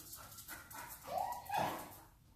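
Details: Six-month-old Golden Retriever in obedience training in Georgia, described as mouthy, a leash puller and jumper, gives a short high whine that rises and then holds steady in two tonal bursts over soft breathy panting-like noise.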